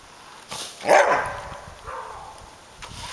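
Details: Samoyed named Suka chasing a remote-controlled car during exercise gives one loud, bright bark sliding downward, followed by a softer trailing whine-like call and faint background noise.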